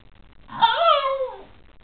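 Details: A Shiba Inu waking up in the morning gives a squeaky, voiced yawn that slides downward in pitch and fades out while stretching.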